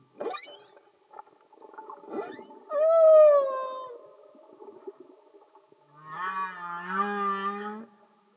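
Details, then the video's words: Humpback whale singing underwater with no music: faint clicks and grunts, then a clear falling tonal moan, and later a low rising groan blending into a wavering wail. "Amazing singing Humpback Whales"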